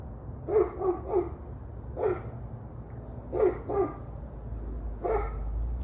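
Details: Dog on 21 November 2023 at 7:06 pm, barking in short bursts: three quick barks, a single bark, a pair, then one more. The barks are hoarse and mid-pitched against a low droning background.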